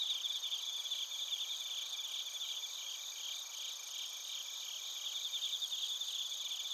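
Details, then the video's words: Crickets, bell crickets and field crickets, singing in Narita, Chiba, Japan, recorded with a TASCAM Portacapture X8; several overlapping high chirping voices, uneven pulses about three per second, over a constant shrill insect drone. "スズムシとコオロギの鳴き声 - Chirping of crickets"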